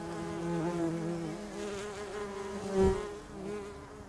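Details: Bumblebees nesting in a house roof: a steady, low droning buzz with rich layered overtones, its pitch wavering slightly, swelling briefly louder near the end as a bee passes close.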